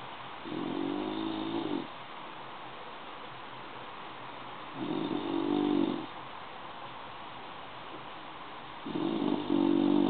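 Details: Sleeping bulldog snoring in a steady rhythm: three rough, buzzing snore breaths, each over a second long, spaced about four seconds apart with quiet breathing between.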